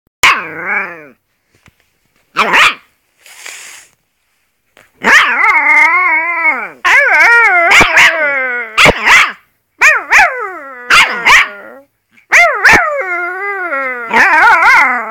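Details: Alaskan Malamute puppy, half malamute and half wolf, howling: wavering, harmonic-rich drawn-out notes that rise and fall, broken by sharp clicks and short yelps, with brief pauses between bouts.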